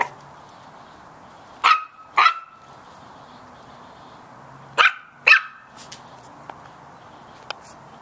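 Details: Small Chihuahua puppies bark at a big cat in two pairs of sharp, piercing yips several seconds apart, followed by faint clicks and a soft tap in a quiet room.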